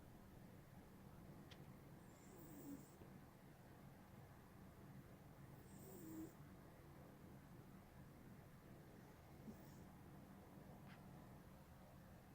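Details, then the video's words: Smokey, a pet cat, snores while asleep. Three soft, airy wheezes come roughly every three and a half seconds over a constant low hum of indoor background noise. "Snoring Cat"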